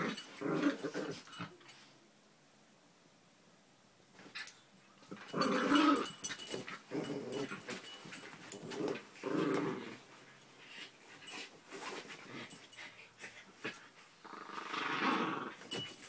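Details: Dog growling indoors, with two grey dogs present; low rumbling growls come in bursts of a second or two separated by quieter gaps, rising louder mid-clip and again near the end.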